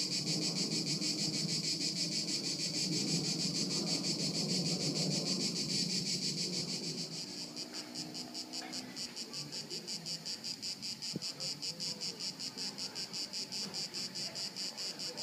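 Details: Crickets at Haut-de-Cagnes in 2013; a buzzing, noisy stretch first blurs the high chirps, then the shrill pulsing returns clearly at a steady quick beat, with a brief click midway.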